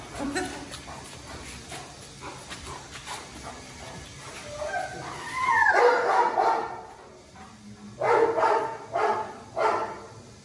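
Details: Presa Canario named Xuanfeng, a very thin dog being given medicine by its owner, lets out a burst of short, harsh barks or yelps near the middle, then three more spaced barks toward the end over steady indoor background noise.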